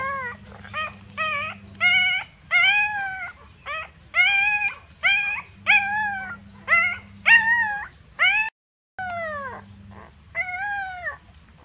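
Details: Scared puppy calling out to its mother, giving rapid bursts of arched, yelping whines, clustered in quick runs with brief pauses, a short silent gap late on; a low hum comes and goes underneath.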